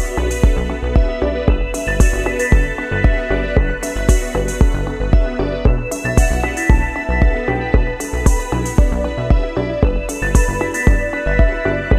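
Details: Steady electronic music with a heavy repeating beat and synthesizer tones fills the whole stretch, and no animal sound is heard.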